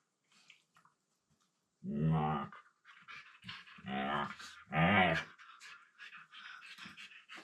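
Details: Two pet Siberian Huskies mouth-playing on a room floor; one grumbles in a low voice with three throaty, rising-and-falling moans, plus breathy panting and scuffling between them.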